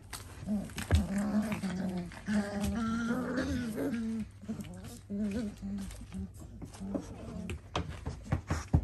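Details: Four-week-old Dalmatian puppies, fat and chunky, indoors: repeated short tonal whimpers and grunts with stacked harmonics, some drawn out and wavering, mixed with low growly sounds and a person's voice nearby.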